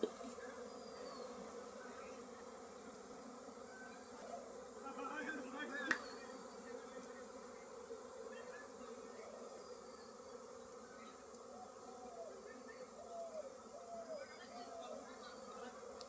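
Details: Thousands of honey bees swarming around hives set up in a courtyard near mustard fields during honey collecting: a continuous droning hum with a faint click midway and soft, brief chirps near the end.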